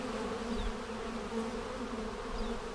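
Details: Honey bees humming steadily during a March 10, 2019 hive inspection, seven days after a vertical split made with a double screen divider board, while the beekeeper checks for queen cells; a continuous low drone with even, unbroken tone.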